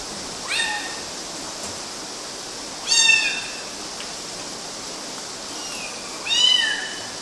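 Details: Three high-pitched kitten mews, short and squeaky with a falling tail, spaced a few seconds apart against steady hiss; young cats clambering on mosquito nets, Galati, Romania, June 2012.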